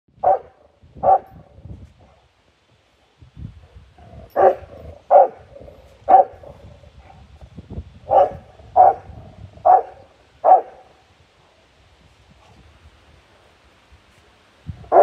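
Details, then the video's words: Rottweiler guard dog barking aggressively at a monkey: loud, deep, sharp barks, singly or in quick pairs, about a dozen across the recording with short pauses between bursts. "#rottweiler #aggressivedog #on #monkey"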